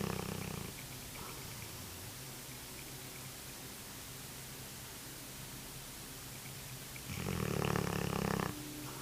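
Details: Snores from a sleeping Cane Corso come as coarse, grating bursts, one fading at the start and another rasping for over a second near the end, separated by several seconds of quiet room noise.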